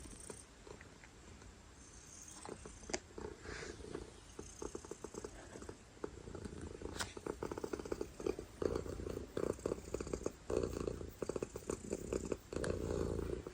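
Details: Domestic cat purring loudly indoors, a low continuous rumbling throb with pulsing bands, growing stronger toward the end, broken by scattered sharp clicks and rustling.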